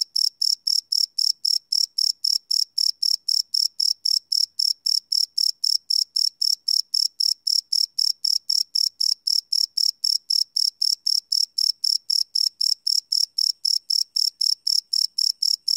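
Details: Crickets chirp at night in a live, unlooped field recording made on a Sony PCM D100; sharp high pulses repeat quickly and regularly, almost four each second, over a quiet background.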